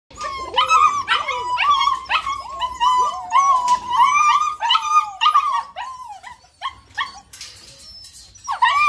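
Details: German Shepherd puppies giving rapid, high whining yelps that overlap, several voices rising and falling in quick bursts, with short pauses near the end.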